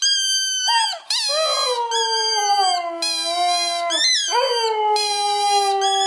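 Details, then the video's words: A two-year-old male Siberian Husky, excited by his squeaky ball, howls in long, wavering tones that slide downward over high, shrill squeaks; Siberian Husky. "Siberian Husky Howling"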